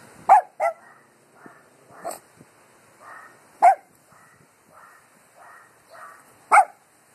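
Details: Dogs barking at the wind: loud, sharp single barks at irregular intervals, about five strong ones over seven seconds, with softer, muffled barks in between.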